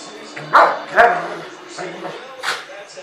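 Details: Rottweiler and young Boerboel mastiff, five months old and 60 lbs, roughhousing in play; two quick sharp barks half a second apart, then softer scuffling yips, over background chatter and music.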